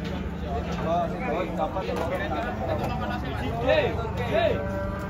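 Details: Giant cattle, agitated and struggling while being unloaded from a truck in Indonesia; short wavering moos rise and fall at moderate pitch, overlapping shouted warnings from people and steady engine rumble.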